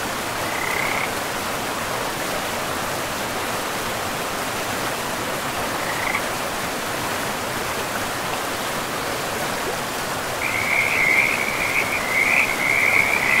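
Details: Frogs by a forest river give a brief high trill near the start and another midway, then a longer, louder run of rattling trills to the end, all set against steady rushing river noise.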